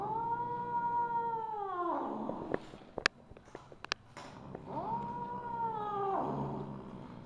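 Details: Drawn-out caterwauling meows from Misu, a Siamese mother cat, on the evening of 2 January 2015. A falling call opens the recording, then a burst of loud clicks and knocks, then a second long rising-then-falling meow.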